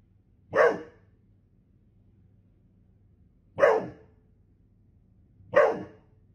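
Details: Three strong, clipped barks from a Golden Retriever, spaced two to three seconds apart, against a steady faint low hum.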